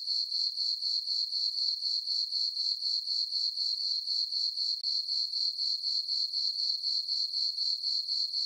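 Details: A meadow of crickets at night on a farm in summer under a full moon, chirping in a sharp, high-pitched, evenly throbbing chorus near four pulses a second, one brief gap partway through.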